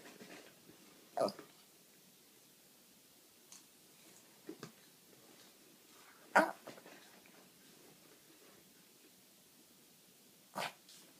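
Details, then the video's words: Sushi, a pet dog, begging for popcorn indoors: three short, loud, sharp screaming bursts come several seconds apart, the sharpest one midway, with faint quieter sounds and hushed room noise between them. "Sushi the screaming dog"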